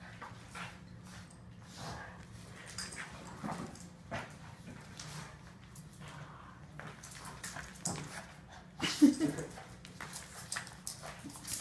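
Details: A tug-of-war game between Boston terriers: a soft low growl hums underneath, punctuated by clicks, shuffles and a brief louder snarl about three quarters of the way through.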